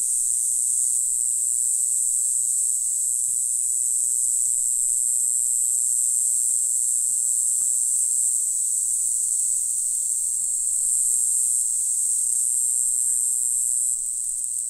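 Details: On Green Island, Taiwan, in April, a Green Island-type black-winged grass cicada (Mogannia formosana) keeps up one long sustained, sizzling high whine for nearly fifteen seconds. The tone is steady, with only faint scattered background ticks.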